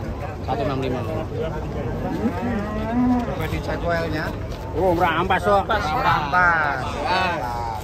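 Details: Giant, unusual Qurban sacrificial cattle coming down from a truck as onlookers gather: deep drawn-out moos with wavering harmonics rise over a steady hum of excited human voices and chatter, louder bursts near the end.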